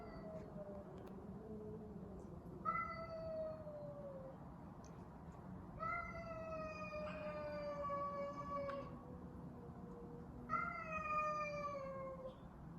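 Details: Fighting cats trade drawn-out, wavering yowls, each falling slowly in pitch, four long wails overlapping with lower moaning growls, over a steady low background rumble.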